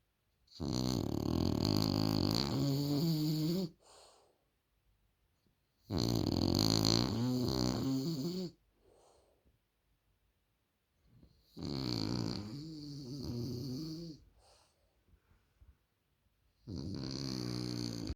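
A French Bulldog snores loudly in long, rasping, rumbling breaths, each separated by a short quiet pause.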